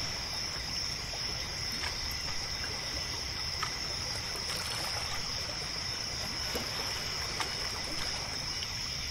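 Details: Crickets at night by a lake near a pier. A steady, shrill, high trill is held without pause, over soft lapping and trickling water and occasional faint ticks.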